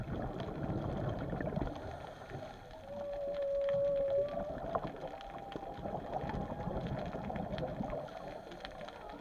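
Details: Underwater at Chileno Bay, a whale gives a clear, level tonal moan of about one and a half seconds. A fainter tone follows, all over a continuous motorboat hum and hiss of water.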